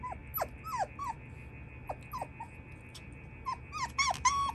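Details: Young female Shiba Inu giving a string of short, high, falling whimpers and squeaks at irregular intervals, with a steady faint background hum and a person speaking softly.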